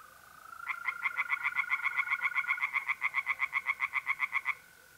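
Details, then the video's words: Pond tree frogs in north-east Italy, recorded by night in mid-April: a brisk sequence of about thirty sharp, regular pulses lasting four seconds. The constant thin trilling of mole crickets sounds in the background. "relaxing singing tree frogs in pond"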